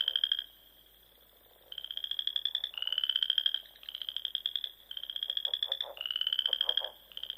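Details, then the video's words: Spring frog chorus at dusk in the rolling Sandhills of Nebraska, near small ponds: after a brief quiet, rapid pulsed trills about one second each follow one another, slightly rising, with several frogs overlapping. "RELAXING SOUNDS OF FROGS"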